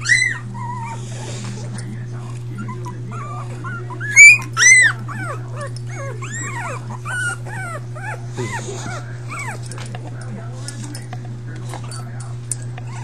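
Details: Litter of five puppies whimpering in overlapping high, arched whines that rise and fall in quick succession, about two a second. A pair of sharper, louder yelps stands out near the middle over a steady low electrical hum.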